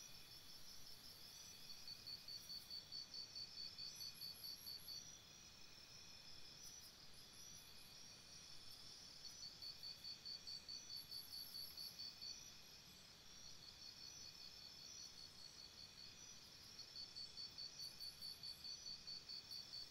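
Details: Crickets chirping at night beside a campsite: bursts of rapid high pulsed chirps, about 140 a minute, come in trains of several seconds and then ease off, with faint higher trills and a steady low background hiss.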